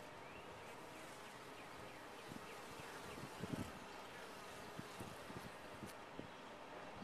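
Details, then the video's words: Honey bees inside a top-bar hive, their broad continuous droning hum punctuated by soft knocks and brief clicks, some louder thuds near the middle. "Bees in a topbar hive"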